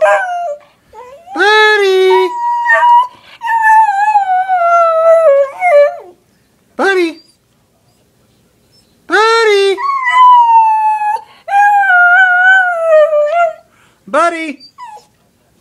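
A Cocker Spaniel howls in long, wavering, tuneful notes, sliding down in pitch between short yelps.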